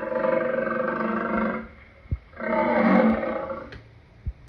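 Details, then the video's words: Lion producing two long, loud, harmonically rich roars, the first about one and a half seconds and the second slightly longer, separated by a pause with a few sharp clicks. "Lion sounds part 2"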